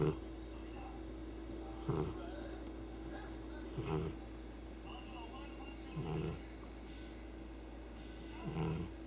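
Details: Sleeping pet cat Chii-kun snoring heavily indoors; low, rough breaths recur about every two seconds, each a short raspy burst over a steady background hum.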